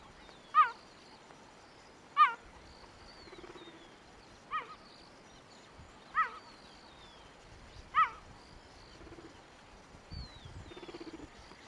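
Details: Cheetah barking in Kruger National Park, South Africa: sharp, high chirping barks repeated roughly every two seconds, five in a row, with faint bird calls and soft background noise between them.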